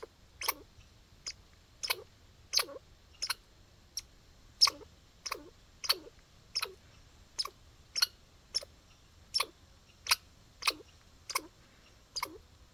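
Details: Squirrel in a backyard making hiccup sounds outdoors: crisp, clicking chucks repeated at fairly even intervals over nearly thirteen seconds, each dropping into a soft low hook at its end.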